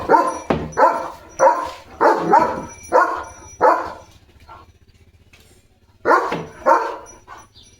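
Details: Playful German Shepherd Leo, a household pet running and frolicking with a water mug in its mouth: a steady series of six loud barks, then a quiet gap, then two more barks close together.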